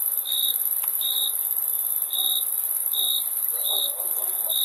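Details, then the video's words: Crickets chirping in short pulses spaced under a second apart, above a continuous high-pitched insect trill, with a few faint lower murmurs in the background. "Crickets Chirping Sound"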